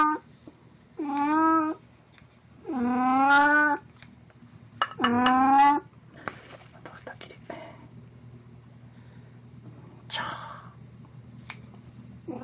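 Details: Three loud meows, about two seconds apart and each rising then falling, come from Plan, a costumed pet cat in a Snow White outfit, on April 1, 2017. Quiet rustles and faint speech follow, against low indoor hum.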